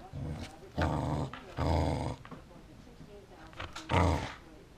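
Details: A corgi gives throaty growling grumbles indoors, two sustained bursts near the start, then quieter rumbling and a short, loud final growl near the end.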